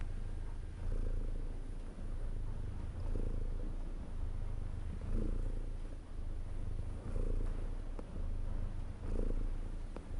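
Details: Cat purring steadily for relaxation: a deep, continuous low rumble with breathing cycles swelling and easing about every two seconds, each inhale adding a faint higher hum.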